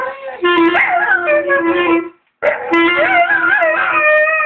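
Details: Staffordshire Bull Terrier. A Staffordshire Bull Terrier gives long, wavering howls that bend up and down in pitch. A clarinet holds sustained notes underneath, with a short break in the middle.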